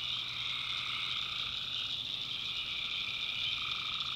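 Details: Night chorus of tree frogs in North Carolina backwoods swamp, a continuous high ringing trill layered over a lower tone that fades briefly midway, steady and unvarying throughout.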